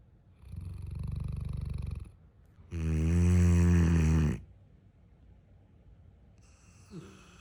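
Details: Neapolitan Mastiff named Callie snores hard: a long, gravelly inhaled rumble followed by an even louder, buzzing snore of nearly two seconds, then quiet breathing and a faint final snort.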